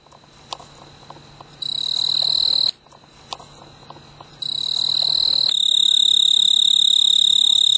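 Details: Male snowy tree cricket stridulating to attract a mate from a large purple clematis bloom on a veranda in mid-August summer. High, steady, tonal trill in two bursts, a short one and then a longer sustained stretch, with faint background noise.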